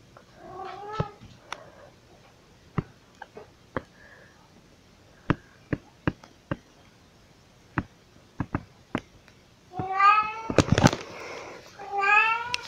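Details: House cat Pixie meows while carrying her toys around indoors: a short meow at the start, a run of sharp taps and clicks, then loud, wavering harmonic meows toward the end with a thump.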